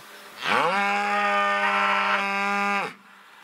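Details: A cow gives one long, rich moo that swoops up, holds steady, then drops away; cows use distinct calls to calves depending on whether they are nearby or separated.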